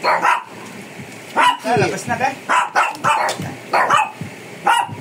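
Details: Fierce Shih Tzu resisting grooming in the Philippines, giving short sharp barks in quick bursts, roughly one volley per second, while a person coaxes it in Filipino and English.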